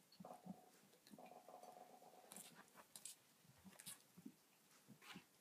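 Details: Yorkshire Terrier puppies, seven weeks old, of a litter from a mother named Oreo, indoors; soft whines and whimpers with faint chewing and clicking noises around them.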